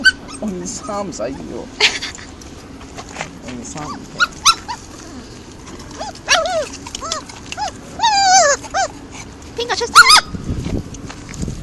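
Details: Construction-site stray puppies begging for food, giving a series of high, bent, wavering yelps and whimpers in the middle of the stretch, with people talking throughout and scattered handling noises.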